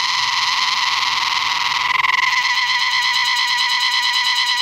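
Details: A cicada in North Bengal, West Bengal, India, sings before rains: a steady, loud, buzzing drone that turns to a rapid pulsing throb partway through.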